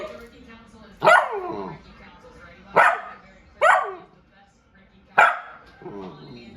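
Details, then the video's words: Puppy 'talking' in four loud, drawn-out, yowling vocal bursts, each sliding downward in pitch, spaced about one to one and a half seconds apart, with quieter murmuring sounds between them in a quiet indoor setting. "Talking Puppy 2"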